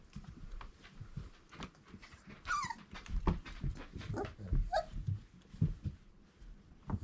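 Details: Irish Setter puppies at four weeks old, from dam Grit and sire Cain; two brief high whimpers, each wavering up then down, stand out over steady low shuffling, scratching and thumping noises.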